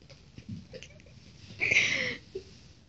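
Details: Two-week-old Shih Tzu puppies playing indoors; one short, high squeal about half a second long, preceded by faint shuffling and soft scratching sounds.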